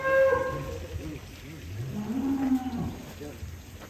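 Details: Large cattle in an Indonesian pen full of Qurban sacrifice stock. A short, low moo rises then falls in pitch midway, under rustling pen noise and a faint voice at the start.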